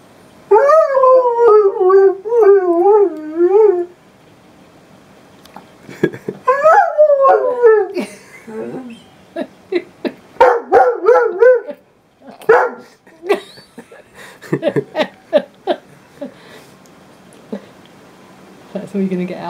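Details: Northern Inuit Dog howling in a sing-song way: wobbling, warbled howls in bursts, then a run of short yelping and whining notes with quiet gaps between them.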